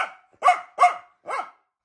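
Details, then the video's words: A female pet dog indoors at home, said to defend her owner at once, barks four times in under two seconds: short, harsh, mid-pitched barks spaced roughly half a second apart, the last one softer. Recorded on an iPhone 14 Pro Max. "Kochana jesteś Tak grzeczny piesek no ale już nie szczekaj bo nam cię zabiorą"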